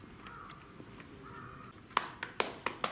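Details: White-handed (lar) gibbons (Hylobates lar) at Tama Zoological Park, Tokyo, on 18 January 2019: soft hooting notes, then a quick run of loud, sharp calls. The group is a male born 2008, a female born 2007 and a male born 2015.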